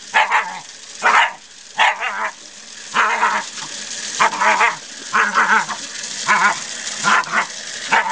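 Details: Scottish Terrier barking at a hose and nozzle being used in a front yard; clipped, harsh barks come in pairs and singles about once a second, some with a whiny rising edge between them.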